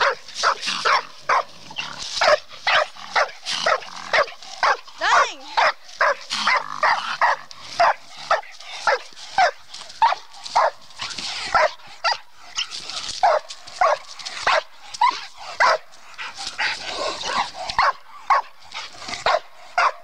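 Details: At a tree during raccoon training, a female bluetick coonhound barks rapidly and relentlessly, about two harsh, clipped barks per second for the full twenty seconds, with brief bursts of faster chopping.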